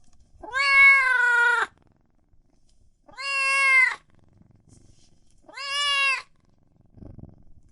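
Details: Kitten or cat meowing loudly, three long, steady, full-voiced meows spaced about two seconds apart, fairly flat in pitch with a slight rise and fall, then a faint low scuffle at the end.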